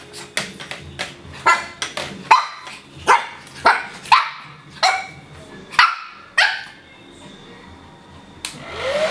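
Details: Three-month-old Shih Tzu puppy named Mu-Shu barking in a mock war against a hair dryer: high, sharp yaps in irregular bursts of one to three, roughly a dozen over nine seconds, some with a rising yelp, over a faint background hum.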